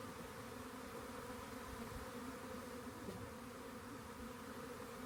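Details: Massed buzzing of a honey bee swarm found at a rain gauge, a constant low-pitched drone with stacked humming tones and a faint soft click partway through, nothing else audible.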